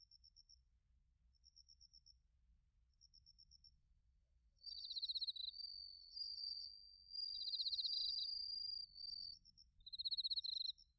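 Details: Crickets and bell crickets calling in autumn at Narita, Chiba, Japan, recorded with a TASCAM Portacapture X8: soft spaced ticks at first, then loud high trilled bursts overlapping a long steady ringing tone.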